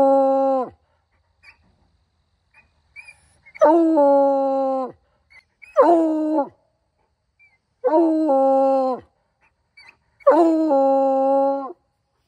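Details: Hound howling: five rich, tonal howls of around one second each, several opening with a quick rise and all closing with a drop, at uneven intervals, with faint small yips in the pauses.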